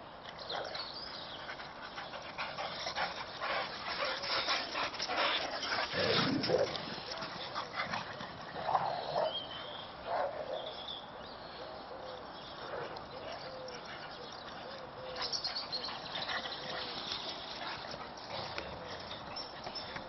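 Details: Three Boxer dogs play fighting outdoors in a snow-covered garden: a long run of scuffling with rough growls, snorts and short yelping whines rising and falling in irregular bursts, louder in the middle.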